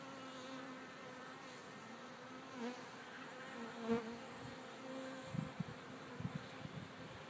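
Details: Honey bees leaving their hive in a back field on a sunny, mild December 25, temperatures above 55 degrees; a droning buzz with a low steady tone and a higher overtone, bees swelling close by, plus a few soft knocks near the end.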